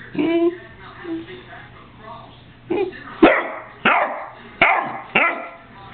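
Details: Domestic dog giving a series of sharp barks and short yowling howls, irregularly spaced over a few seconds, with a faint steady hum in the background.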